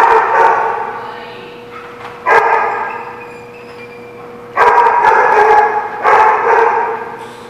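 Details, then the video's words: Dogs barking, recorded 23 September 2017: loud harmonic bark bursts at about two, four and a half and six seconds, with a steady tonal hum and quieter barking between them. "The Barking Lot"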